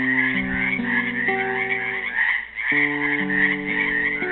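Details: Trapped frogs in a pool at Helix, Oregon, Earth Day 2016, keep up a thick high-pitched croaking chorus; plucked classical guitar notes sound below, briefly pausing midway before resuming.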